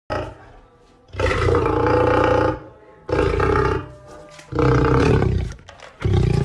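A lion gives a series of deep, rumbling roars, each a loud throaty burst with short pauses between.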